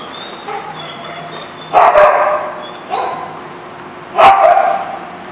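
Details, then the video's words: Dogs at The Barking Lot on 24 March 2014 give three loud, separate barks about a second apart, with fainter high whines in the background. "The Barking Lot"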